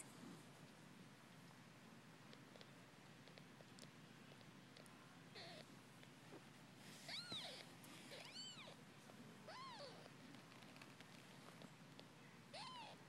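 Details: Litter of ten-day-old Persian kittens from Drens and Lucy, indoors; faint rustling gives way to a run of high rising-falling mews from about seven to ten seconds, plus one more near the end, over low room hiss.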